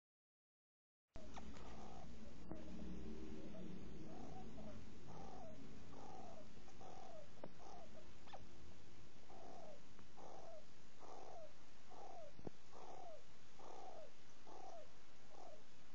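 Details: A hamster makes a strange noise it has never made before, puzzling its owner: short, low squeaks that slide downward, about two each second, in a regular breathing-like rhythm, over a low rumble of handling or room noise.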